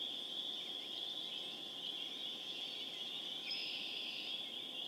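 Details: Chorus of spring peepers recorded April 27, 2011 in Harvard, Massachusetts, a dense unbroken layer of high piping notes with occasional sharper peeps rising above the constant hum.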